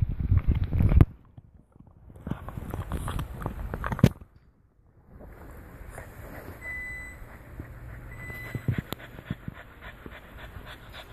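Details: A female French Bulldog chews a deer antler with loud, irregular crunching and clacking bursts.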